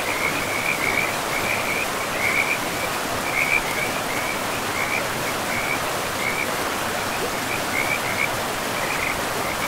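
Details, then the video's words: Frogs calling by a river in a pristine forest, a steady run of short high trilled notes repeating every half second or so over the constant broadband rush of flowing water. "River and Frogs sleep sounds"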